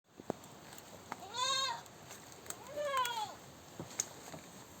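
A goat gives two loud, wavering screams, each arching up then falling away.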